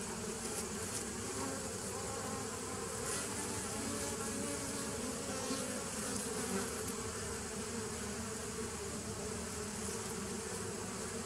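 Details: Recorded 27 September 2018, many bees make a steady, droning buzz with a low hum underneath and a faint, hissing wash on top, continuous for the whole stretch.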